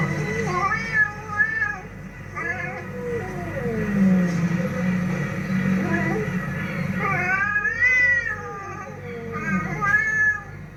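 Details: Fighting cats yowling in long, wavering, harmonic-rich wails that rise and fall, with broken bursts near the start and louder rising howls toward the end, over a low steady hum.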